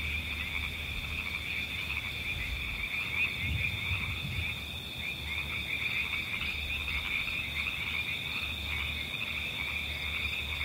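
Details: Frogs croaking in a natural ambience, with soft repeated pulsed croaks in the mid range under a steady shrill drone of insects and crickets, and a low rumble of wind.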